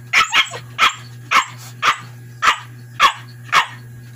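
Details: Siberian Husky barking in answer to a counting question about how many cards were cut: eight sharp, broadband barks at roughly even half-second spacing, with a steady low hum underneath.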